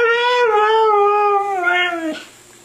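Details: Siberian Husky 'talking', voicing 'I love you': a sustained, clearly harmonic howl that holds steady, then dips and wavers in pitch near the end before breaking off, followed by a short quiet tail.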